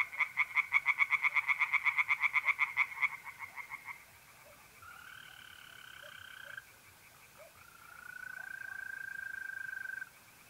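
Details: Night pond in north-east Italy in mid-April: tree frogs give a loud burst of quick rattling croaks for about three seconds, then fall quiet, leaving long, steady, tonal trills of mole crickets, one after another.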